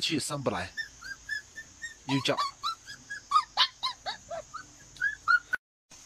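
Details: Little dog gives rapid, high, whiny yelps, roughly twenty short arched cries in five seconds, with a person's voice at the start.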